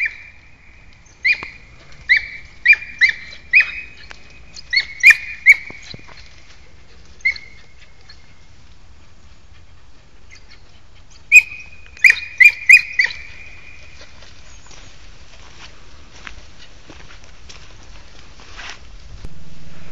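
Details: A Podengo Português hunting dog in training for wild rabbit gives bursts of high, sharp yelping barks, about a dozen in quick clusters. A quiet pause follows, then another tight burst, then rustling outdoors.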